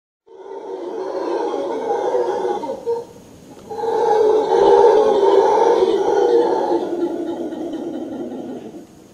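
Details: Howler monkeys roar in deep, rasping, sustained bellows that rise and fall together, a morning wake-up call at a tropical beach in Manuel Antonio.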